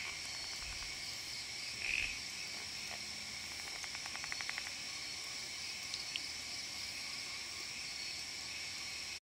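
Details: Odorrana frog, O. hosii or O. monjerai, calling at night on Gunung Jerai, Kedah, Malaysia, about 800 m up; one short high chirp, then a quick rattling train of clicks, under constant buzzing insects.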